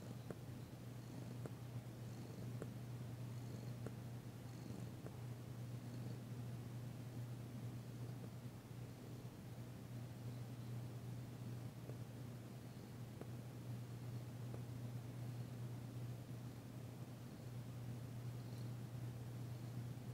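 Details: Long unbroken purr from female cat Danci while being massaged, shortly after a visit, the first time she purred since her arrival; deep even rumble with scattered light clicks and faint high squeaks.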